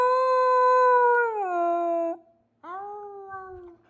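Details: Samoyed. A Samoyed howls in a sustained, tonal voice, holding a steady note before sliding down in pitch. After a short break it starts again on a lower, wavering note that fades out.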